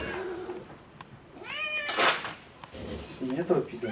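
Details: Domestic cat meowing at feeding time indoors, a single drawn-out falling meow near the middle, with Russian speech before and after and rustling in the room.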